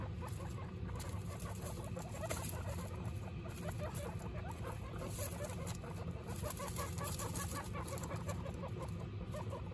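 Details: Pet guinea pigs, the mother Butter and her young Lion, Tofu and Mochi, making a run of short pulsing squeaks and soft chatter against a constant low rumble.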